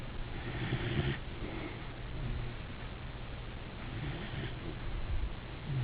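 A Weimaraner snores in low, rumbling breaths, each rough snore coming a few seconds apart.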